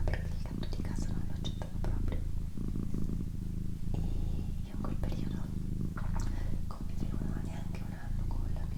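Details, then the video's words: Female house cat purring indoors, a continuous deep, rhythmic rumble that pulses evenly, accompanied by a person's quiet whispering. "ASMR Cat Purring & Whispering"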